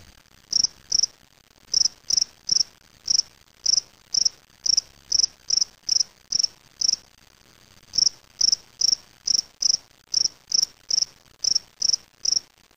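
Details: Gryllus veletis, the spring field cricket, caged indoors after collection on May 25, 2007 in Waterloo, Ontario, Canada, sings a long series of evenly spaced shrill chirps, about two per second, broken by one short pause.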